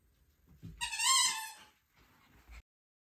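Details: Arctic fox (Vulpes lagopus), call.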